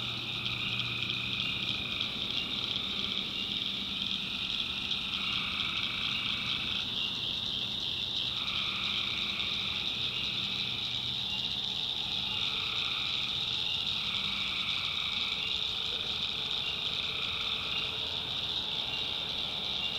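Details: Nighttime swamp in the North Carolina backwoods filled with tree frogs: unbroken high-pitched chorus overlaid by repeated buzzy call phrases of roughly a second, several callers overlapping with short gaps between bursts.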